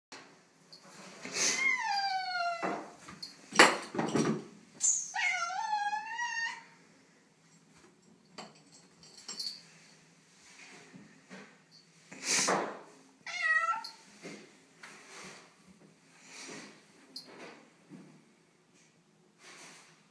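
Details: Female tortoiseshell cat, unhappy on the day of moving into a new house, gives three drawn-out, falling, wavering meows with rich overtones, the second warbling. Sharp knocks and bumps sound between them in a small indoor room.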